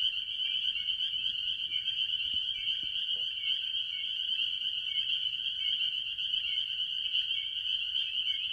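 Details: Spring peepers calling with other tree frogs at a farm pond early in the year; a dense, unbroken wall of high shrill peeps, with short rising slurred notes standing out, and faint low rumble beneath.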